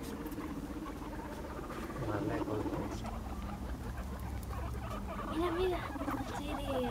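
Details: Five pet guinea pigs chasing one another in a game of follow the leader; a low, soft chuttering murmur pulses rapidly and unevenly throughout, with a brief higher squeaky wobble near the end.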